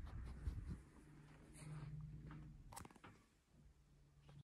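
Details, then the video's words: Corgi angry on its owner's bed indoors: a low, steady rumbling growl, drawn out for nearly a second in the middle and again near the end, with soft rustling and a sharp click between. "【コーギー】ベッドの上で怒る A corgi gets angry on owner's bed."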